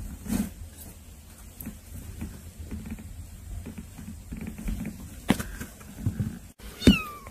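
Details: Cats come to visit their younger kitten siblings; quiet room rumble with soft shuffling, then a single short meow near the end that slides downward in pitch.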